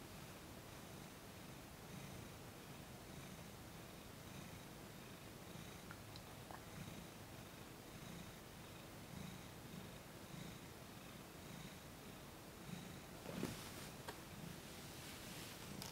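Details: Cat named Thomas purring steadily under gentle massage, cooperative during his first full session; even low rumbling cycles repeat continuously, broken near the end by a brief rustling handling noise.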